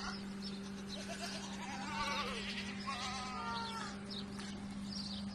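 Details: Salali goats bleating: a few wavering, quavering bleats with stacked overtones, two longer ones close together in the middle, over a constant low electrical hum and faint background chatter.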